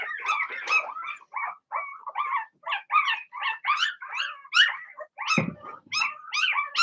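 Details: Six Blenheim Cavalier King Charles Spaniel puppies, two girls and four boys, in their puppy pen at home, yapping in a steady run of high, bright little barks and yips, about one or two each second, with no gaps.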